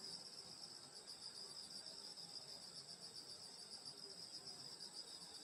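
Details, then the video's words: Rural summer night chorus of grass insects by a grandmother's home: a constant, even, high shrill buzz in several layers with no breaks and nothing else clearly heard. "여름소리 풀벌레소리 시골밤소리"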